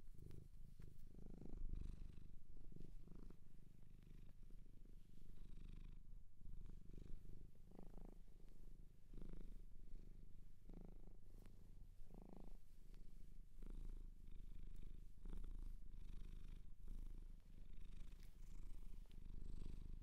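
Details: Shelter cat in Japan purring at length, close and intimate: a deep even rumble with rhythmic inhale-exhale swells roughly every second, soft handling noises now and then.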